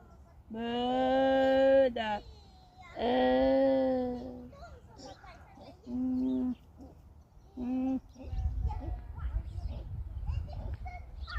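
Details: Farm goats letting out drawn-out, level bleats, two long ones followed by two shorter ones. Children talk and shout in the background afterwards.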